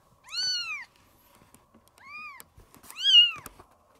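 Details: Kitten Maya, roughly 20 days old and being socialised with the cat room's resident cats, meeting a black cat for the first time; three clear, high-pitched arching mews, the first and last longest, in a quiet room.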